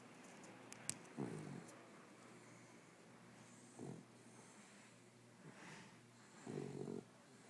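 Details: A Corgi snoring while asleep: soft, low, rasping snores about every two and a half seconds, each a short noisy breath, in a quiet small room with faint clicks early on.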